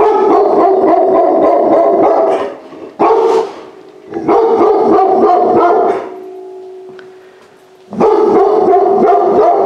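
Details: Rescued large-breed puppy, pulled from a high-kill shelter, inside a home for the first time, barking in rapid bursts of several barks separated by short pauses, with a steady low tone during a quieter gap.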